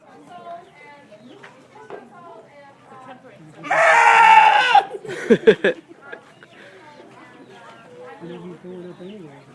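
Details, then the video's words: Goat in a funny compilation of noisy goats and sheep: one loud, harsh, harmonic bleat of about two seconds, then a few short bursts, with quiet human talk throughout. "goats & sheep making noise"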